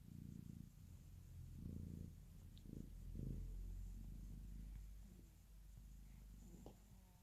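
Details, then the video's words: Domestic cat purring beside a snoring newborn baby, recorded live: low, rumbling pulses in rhythmic swells roughly every second, breath-like surges rising and falling, with a faint click near the end. "Newborn snoring and cat purring"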